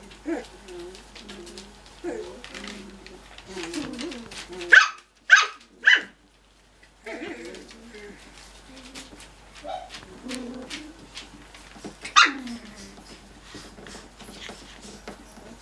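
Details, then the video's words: Cocker Spaniel puppies playing indoors: scattered soft yips and whimpers, then a few loud, sharp barks in quick succession, a brief silence, and more yapping with one more strong bark later. "Cocker Puppies Bark & Play"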